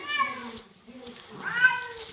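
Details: Female pet Bengal cat meowing while eating dinner; two harmonic mews, the first falling, the second rising then falling, separated by a soft low murmur, in a small indoor room.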